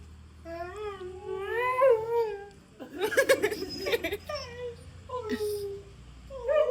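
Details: Pet dog singing along with its owner indoors: long, wavering tonal howls that rise and fall, then a rough, noisy burst and shorter falling howls, with a voice nearby.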